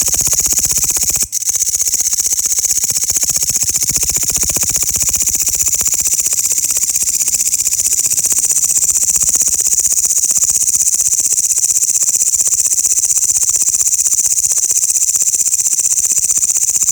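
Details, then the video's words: Loud sound of grasshoppers: an intense, sustained high hiss of quick even pulses, briefly broken by a sharp click-like gap early on, then continuing steadily without change. "the loud sound of grasshoppers"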